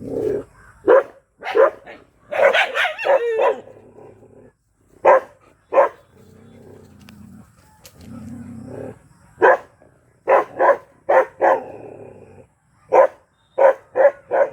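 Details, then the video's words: Black Bhotiya dog barking madly: sharp, loud barks in quick bursts and clusters, with a stretch of low rumbling growl between them midway. "Mad ! Barking Bhotiya Dog Black"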